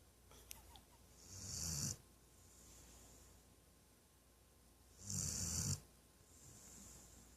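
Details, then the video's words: A female Weimaraner snores loudly during a nap in slow, raspy breaths, each rumbling snort followed by a soft hiss, like an old man. "My Weimaraner snoring like an old man"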